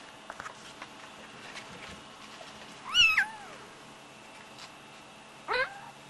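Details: Indoor Highlander cat, a large breed sold as rare lynx hybrid kittens, giving two short falling meows about two and a half seconds apart over a steady low background hum.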